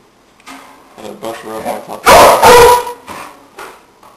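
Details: An 8-month-old female pit bull barks at birds newly added to the household: a loud, harsh bark burst lasting under a second, after softer whining or voice-like sounds.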